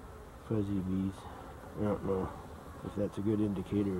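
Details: Close honey bee buzzing, recorded 12-11-23, comes in brief droning bursts about half a second long, several in quick succession with a steady low pitch and soft hum between them.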